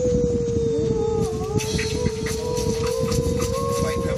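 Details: A poodle howls in one long, steady tone that wavers slightly and is held through the whole stretch. A fainter gliding voice joins briefly near the start, over a constant low rumble.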